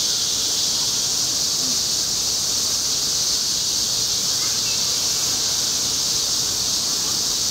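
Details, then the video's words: A robust cicada (minminzemi) on a tree trunk sings a loud, steady, high-pitched buzzing drone without a break, then flies off as soon as it finishes. "昆虫_セミ_ミンミンゼミ鳴く"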